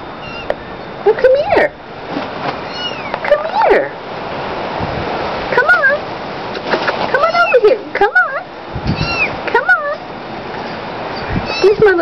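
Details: Tabby munchkin kitten talking indoors: several short high-pitched meows, some rising then falling, spaced a few seconds apart, mixed with a woman's affectionate speech and small handling noises.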